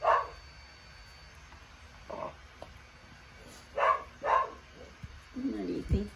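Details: Dog barking in scattered short yaps, four bursts spread over several seconds, while a person talks and other household sounds come through at the close.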